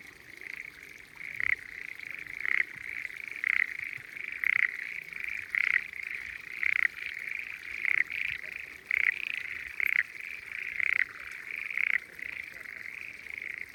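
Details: On a spring day, frogs hidden in the water of hillside rice fields in the Japanese countryside form a dense chorus: a steady, high trilling hum punctuated by louder croaks about once a second.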